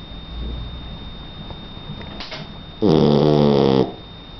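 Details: Donna, a three-month-old Shar Pei puppy, snoring in her sleep: a single loud, rasping, harmonic snore lasting about one second after a few seconds of quiet room noise.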